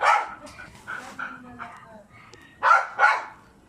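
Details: A lively pet Aspin, a Philippine native dog, gives one sharp bark, then softer short sounds, then two loud barks in quick succession near the end.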